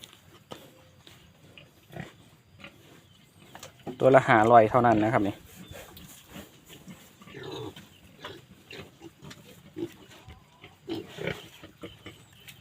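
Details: Wild boar from Phu Phan, kept in Kham Muang district, Kalasin province, Thailand: one loud, harmonic, wavering squeal lasting about a second, with a man talking softly before and after.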